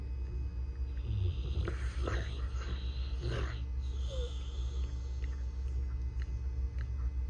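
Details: A Rottweiler puppy snores while asleep and dreaming, with deep, rasping rumbles and irregular breathy snuffles and snorts, over a steady electrical hum.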